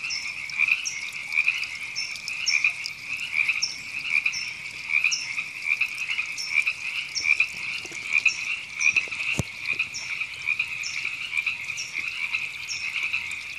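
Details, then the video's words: Many river frogs calling together in April 2017 at Temescal Canyon Park, Los Angeles, California. Overlapping rapid trills pulse roughly once a second, higher short chirps repeat throughout, and one loud click sounds partway through. "Frogs Ribbits"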